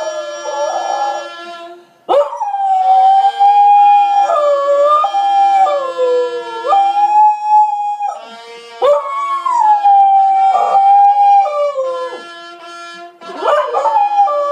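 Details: Australian Kelpie howling to the Last Post. Long wavering howls slide up and down through sustained bugle tones, broken by brief pauses and sharp rising onsets.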